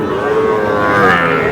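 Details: Small bull calves at a cattle market in Kushtia, Bangladesh, on 23 June, being bought by a farmer; one sustained, harmonic-rich moo holding a steady pitch and rising slightly near the end, over market chatter.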